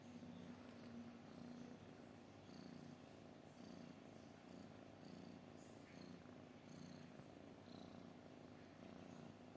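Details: Cat purring in a soft, even rumble that swells and eases with each breath, roughly once a second, with faint rustling above.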